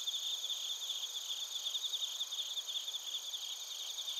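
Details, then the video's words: Bell crickets and other crickets chirping in Narita, Chiba, Japan, captured on a TASCAM Portacapture X8: a dense, steady high-pitched ringing chorus with rapid pulsed trills repeating roughly every half second, layered with shrill overtones and no other sounds. "スズムシとコオロギの鳴き声 - Chirping of crickets"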